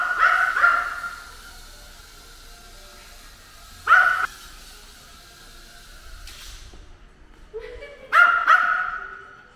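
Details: Drone-hating ten-year-old pet dog barks during an attack on a drone: bursts of harsh, harmonic barks near the start, middle and end, with the drone's steady whine and a brief clatter between them.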